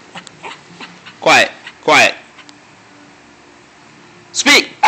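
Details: Dante, a pet dog, vocalizes on command as he is told to speak and to be quiet: three loud, short, yowling bursts that drop in pitch, spaced about a second apart, with a person's quiet voice repeating commands between them.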